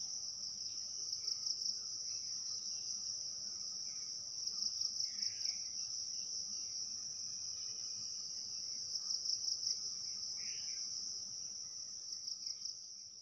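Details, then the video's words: Crickets heard during the day in an unbroken, high, ringing trill, joined by a few faint, brief bird chirps and a soft low background hum. "Cricket Sounds During The Day"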